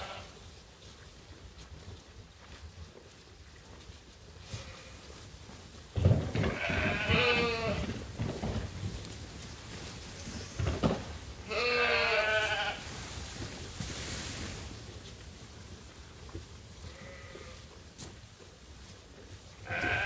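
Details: Bleating from farm sheep awaiting feed at Ewetopia Farms on a routine chore day. Two long, strongly vibrating bleats stand out, with a softer third call later, against steady background noise and clatter.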